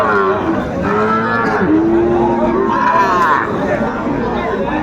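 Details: Sahiwal bull calves being bought by a farmer in Mymensingh, Bangladesh, on 9 May 2024: a clear moo slides downward and then swells again, mixed with loud, busy human talk and crowd noise throughout.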